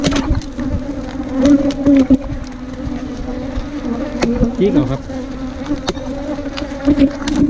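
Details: Wild ground bees, a small cavity bee nesting in underground hollows or termite mounds, buzzing at a nest dug out by honey hunters. A steady, low droning hum with a clear overtone, broken by knocks, clicks and brief speech.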